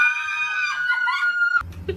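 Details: A pet dog "talking": one long, high, steady whining tone with rich overtones holds for about a second and a half, then breaks off into a short burst of rough noise.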